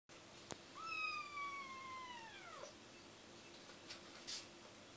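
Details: A kitten gives one long, thin meow, held almost level and then dropping sharply at the end. It comes after a sharp click in a quiet indoor setting, with faint rustles afterward.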